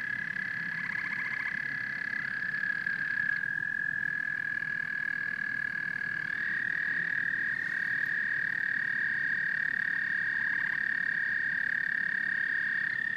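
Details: Frogs and toads sing in a dense, continuous chorus of high buzzing trills, with several voices layered and shifting in and out over a low murmur.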